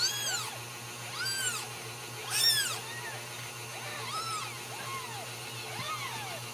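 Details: Home-nurtured Ragdoll kittens from a cattery in central Kansas meowing clearly: loud rising-falling high-pitched mews about every second, the loudest near the middle, then softer lower mews, with a faint hum beneath.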